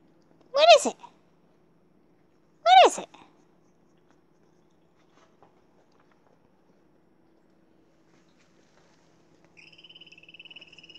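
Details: Little Bear, a Siberian Husky Alaskan Malamute puppy, gives two short, high, wavering yelps about two seconds apart, then falls quiet before a faint steady electronic beeping begins near the end.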